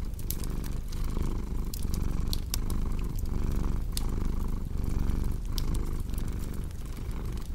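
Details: A domestic cat purring steadily beside a crackling fireplace indoors; the deep rumble swells and eases in cycles under a second long, while sharp pops and snaps from the fire sound throughout.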